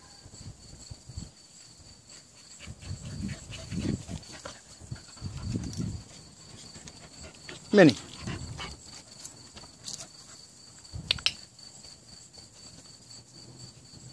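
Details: Nine-month-old American Bully named Minnie playing with a rope: low, throaty grunting and growling bursts in short runs, one sharp sweeping squeak partway through, and a person calling the dog's name over faint background hum.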